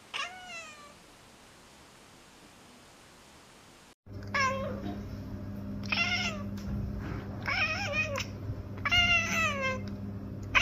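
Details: Domestic cat chirping and chattering: a brief falling meow-like chirp, a quiet pause, then a run of warbling, bending chirps in short bursts over a steady low indoor hum.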